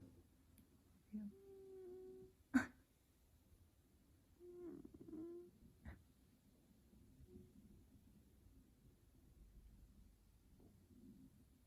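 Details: F2 Savannah cat named Taj, sleeping indoors while being petted, gives soft tonal chirping trills, a steady hum near two seconds and a wavering one near five, with sharp clicks between and quiet room noise.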